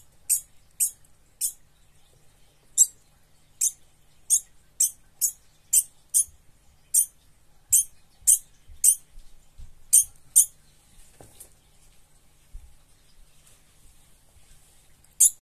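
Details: Degu scolding after a fright: a steady series of piercing, thin, high squeaks about every half second for ten seconds, then near silence with faint rustling and one last squeak.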